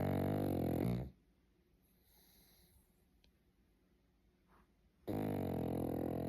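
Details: Pug asleep, snoring steadily: one long, coarse, rumbling breath of about a second, near silence for roughly four seconds, then another equally loud, harsh snore starts.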